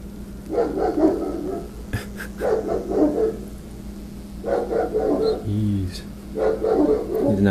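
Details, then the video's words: A Rottweiler gives deep, harsh barks in bursts at construction workers trimming branches away from telephone wires, guarding against the intruders, over a steady machinery hum. "Angry Rottweiler Barking at Construction Workers"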